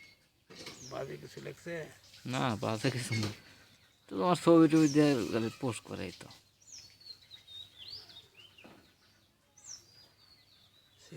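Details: Kids, baby goats jumping around, bleat in a burst of shaky wavering cries over the first half, followed by quieter stretches with high bird chirps and faint rustling.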